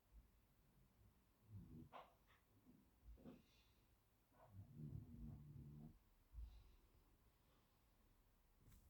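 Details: A male Great Dane snores in low, rumbling, uneven breaths that come every second or two.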